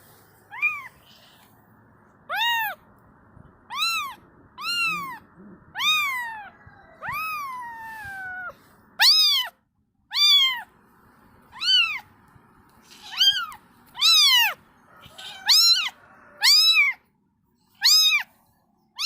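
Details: Mother cat tending and cleaning her kittens, with a long series of about fifteen arched meows that come faster toward the end, some drawn out and falling, over a faint low background hum.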